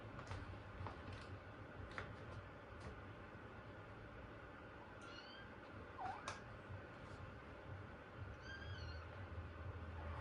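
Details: Ogin, a pet kitten, gives a few short, thin, high meows, one dipping and rising near the middle and a wavering one near the end, set against a steady, loud background hiss and low hum.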